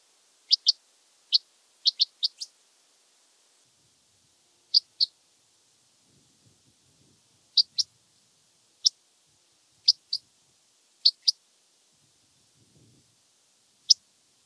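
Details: Red band-winged grasshopper (Oedipoda germanica) at Mörnsheim, Germany, on 14 July 2023, with noise removal applied: sharp dry ticks, mostly in close pairs, scattered irregularly over fourteen seconds against a quiet background.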